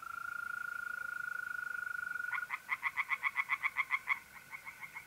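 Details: April night by a pond in north-east Italy: a mole cricket's smooth, sustained trill fills the first half, then a tree frog breaks in with a brisk series of about a dozen rasping pulses.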